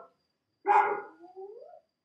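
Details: At night at an African safari camp, baboons give alarm calls warning each other of danger from a leopard prowling the camp; a loud, harsh bark trails off into a lower, rising hoot; a hyena may also be heard.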